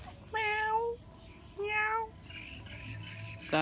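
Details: Hungry house cat that nobody has fed, meowing twice: two drawn-out, clear tonal meows of about half a second each, spaced over a second apart, with low background hum between them and a sharp noise at the end.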